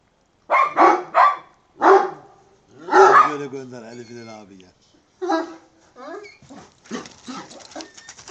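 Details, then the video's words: An angry, bad-tempered Kangal named Pasa gives several gruff barks in quick succession, then a drawn-out strained vocalisation, with more scattered barks and a human voice heard in the background. "kangal pasa gene hırçın ve çok kızmış"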